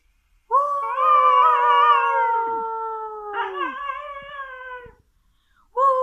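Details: A female Siberian Husky howls in long, steady, mid-pitched tones that slowly fall away at the end, sounding like a little wolf.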